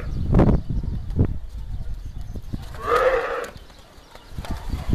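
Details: Camels at the Cyprus Camel Park, fighting or perhaps mating, with heavy thumps and scuffling around one short, hoarse, moaning call midway.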